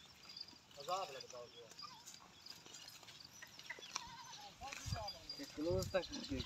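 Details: A big Pahari goat in Pakistan gives wavering, quavering bleats near the start and again twice toward the end, while people speak in the background.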